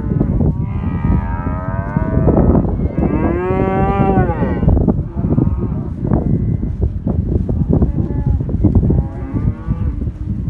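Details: Angus cattle, black heifers and cows of a general herd in southern Córdoba, calling with loud drawn-out moos that swell and bend in pitch, a strong bellow near the middle, with constant low herd rumble.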